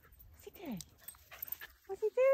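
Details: Husky playing with a puppy indoors: a quick falling squeal, then a run of short, high, tonal whines rising in pitch toward the end, with soft thuds of play and a person speaking briefly.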